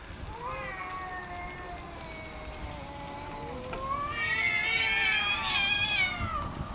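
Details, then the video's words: Cats arguing loudly over territory without physically fighting: long, drawn-out wavering yowls that rise and fall, growing louder and higher toward the end, with two voices overlapping. "Cats arguing about territory"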